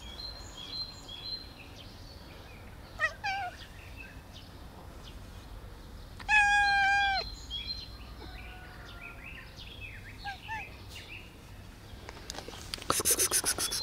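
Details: A black cat called sweet as a bun lets out a brief meow, then a loud, sustained, slightly falling meow midway, amid scattered birdsong and a burst of clicking noise at the end.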